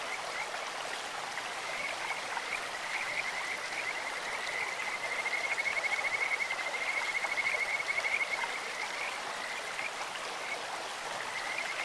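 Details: Clear-stream chorus of Kajika frogs: a long, high, fluty trill of fast repeated notes rises in strength during the middle seconds, then fades, while a stream rushes steadily throughout.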